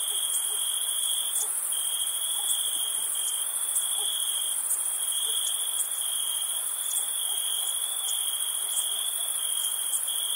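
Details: Crickets chirping on a summer night, a dense steady high trill holding one pitch with brief dropouts every second or two, over a fainter, even higher continuous insect shimmer and no other sounds.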